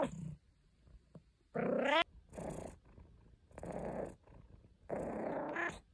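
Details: Caesar von Schwanheim, a pet cat, makes complaining sounds: a short rising meow and rough, breathy grumbles in a small indoor space, broken by brief silences.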